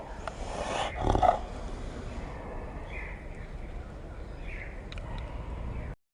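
A snow leopard gives a short, rough, throaty growl before the sound fades into a steady hiss.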